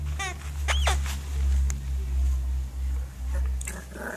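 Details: Colin, a 9-week-old Border Terrier puppy, playing: two thin, high squeaky whines in the first second, then a steady low rumbling with soft pulses and a faint later squeak.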